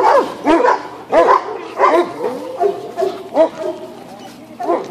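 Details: Barking dogs beside an unbothered horse; loud, sharp barks in irregular bursts about every half-second to second, with a human voice faintly mixed in.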